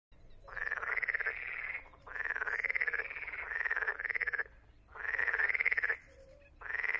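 An edible frog gives long, rattling, rapidly pulsed croaks, each lasting over a second.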